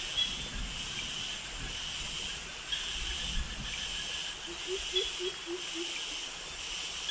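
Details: Jungle cicadas with crickets in Krabi, Thailand, during a forest walk past mangroves: a pulsing high buzzing drone over low thumping footsteps, with a short run of soft lower calls near the end.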